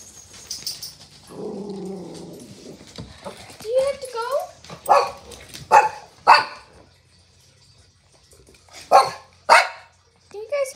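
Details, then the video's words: Domestic dog 'talking' indoors: warbling whines and yowls, then several sharp barks in uneven bursts, mixed with a person's speech. "Talking dogs"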